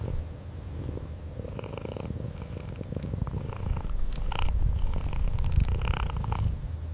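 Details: Domestic cat purring steadily, a low continuous rumble pulsing about three times per second, with faint higher rustling and soft clicks over it indoors.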